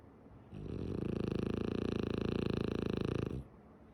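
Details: Sleeping with her eyes open, Tsumugi, a female French Bulldog, lets out a sustained snore: a rapid, regular fluttering rasp lasting roughly three seconds, with quiet before and after.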